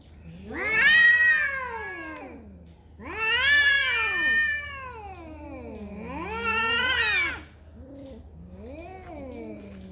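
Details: Cat yowling in a fight over territory: three long arched wails about every three seconds, each rising then falling, followed by shorter lower moans, over a steady low hum.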